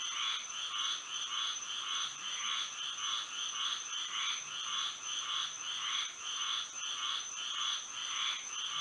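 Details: Frogs singing at night under moonlight in Florida: a dense chorus of bright, pulsing croaks, rhythmic bursts repeating almost twice per second, over a steady high insect-like whine.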